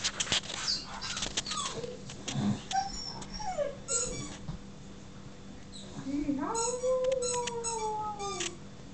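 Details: Siberian huskies, more than one, excited and driven mad by a squeaky toy; high whining whimpers with falling and sliding tones, one long drawn-out whine near the end, between sharp toy squeaks and a person speaking.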